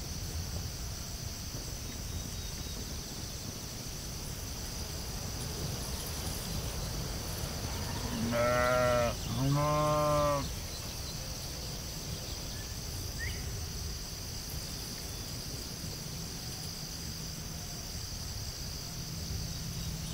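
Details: Sheep in a field giving two loud, wavering bleats in quick succession around the middle, rich in harmonics, against a steady high insect-like hiss and low rumbling background noise.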